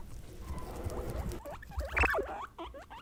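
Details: Female pet guinea pigs of Peruvian, English and Teddy breeds calling to show what they sense or feel: after low rumbling noise, a few short rising squeaks, with one loud sweeping call near the middle.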